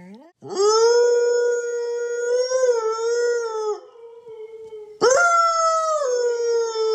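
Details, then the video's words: Loki, a Siberian Husky, howling in a morning duet with his owner: a long steady tonal howl with a slight wavering rise, then a second strong howl starting abruptly and sliding gently downward. "Howling Husky - My Dog Teaches Me to Howl!"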